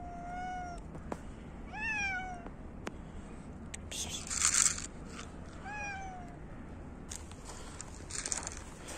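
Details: Hungry cats competing for food in winter, meowing while being fed: three rising-falling harmonic meows spread across the clip, the last a long downward slide, over a steady low hum and some brief rustling noise.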